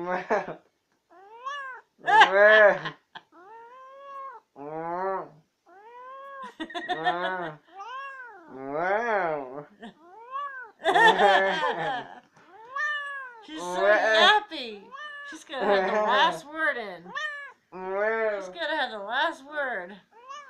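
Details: A chatty female house cat keeps answering back, producing a long run of short arched meows and trills, some clipped and some drawn out, with brief gaps and bursts of louder yowling toward the middle.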